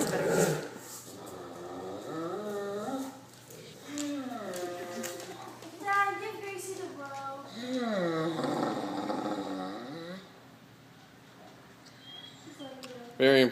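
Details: Dog named Zeke making odd noises while playing tug with another dog, Gracie, indoors: bursts of wavering, rising and falling growly moans and groans, some drawn out, quieter toward the end, then a sharp burst at the close.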